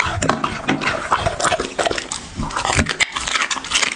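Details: Dog eating in an ASMR-style eating show: dense, irregular crunches and wet chewing clicks, some louder bites standing out, with no other clear sounds.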